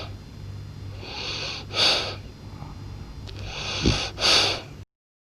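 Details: Loud snoring from a French Bulldog, described as a blue-coated one, filling the house: two long wheezy, breathy snores about two seconds apart, each a rising rasp ending in a hissing peak, with a faint snort between them.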